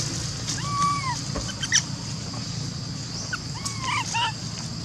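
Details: Lori, a monkey who could not use her legs, calls for Amari to help her up a tree, with little baby monkeys nearby. Two drawn-out, clear harmonic wails, then a cluster of short arched cries, over a constant low hum.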